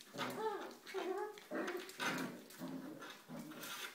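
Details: Five-week-old puppies of Ellie play indoors in the whelping box on a rainy day, giving repeated whining and whimpering calls that rise and fall, several short bursts about every half second to second, with soft shuffling.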